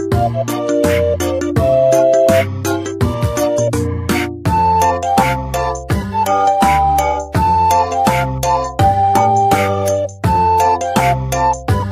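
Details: Upbeat rhythmic music with steady bass notes and bright plucked melody lines fills the whole stretch, with no animal voices audible.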